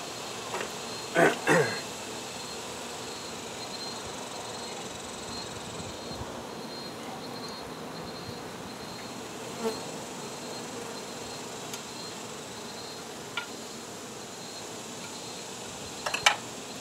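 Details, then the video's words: Honey bee colony droning throughout a hive removal, a continuous low hum of massed wings, with a couple of louder knocks and scrapes near the start and again at the end. "Honey Bee hive Removal"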